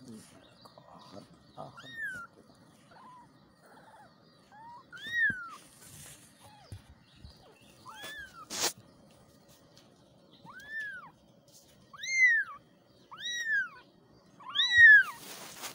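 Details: Kittens calling for their mother with a string of short, high meows, each rising then falling, some brief and thin, others fuller and louder toward the end; a few sharp clicks and a faint voice in the background.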